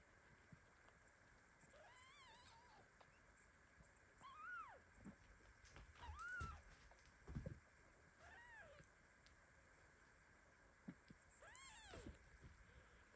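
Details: Tiny kitten squashed under its lying mother cat, meowing in protest while twitching in sleep; about five rising-and-falling squeaky mews spaced a couple of seconds apart over quiet background hiss.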